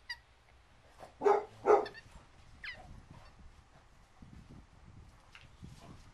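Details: Barking from a female petite basset hound, one of Oakley and Reagan fostered in Midtown Atlanta: two loud hoarse barks close together, followed by softer short yelps over a low background rumble.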